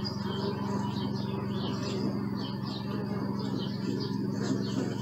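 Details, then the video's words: Continuous deep humming of bees, captured on a Sony Alpha 6000, runs unbroken underneath short, bright bird chirps that come in quick clusters about every half second. "Bee sound"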